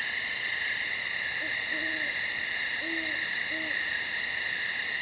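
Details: Night insects in the woods keep up an unbroken, layered trilling and shrill pulsing buzz; low, brief owl hoots break in three times midway through.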